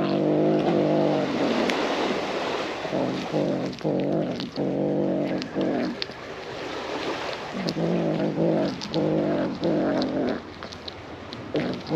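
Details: A tabby cat on a cat island guards a fish it is keeping to itself, growling in long, low, wavering rumbles broken by short pauses and swelling into moaning tones, with faint background noise.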